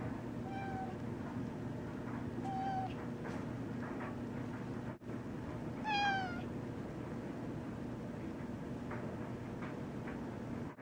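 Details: Sneaky, a female house cat, meowing in a kitchen after spotting a moth: three short, clear meows spaced a couple of seconds apart, the last louder with a rising-then-falling pitch, over a steady low indoor hum.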